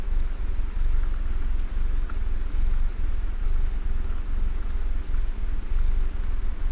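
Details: Domestic cat named Mister Man purring while snuggled, sitting still: a deep, continuous rumbling purr made of rapid even pulses, steady and close, with only faint soft hiss above it.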